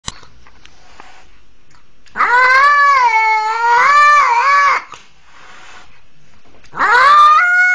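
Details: Cat, a kitten once seized at twenty days old by a leashed pitbull and rescued, crying out as if pleading for help: a long wavering nasal yowl of about two and a half seconds, then a second rising yowl begins after a pause.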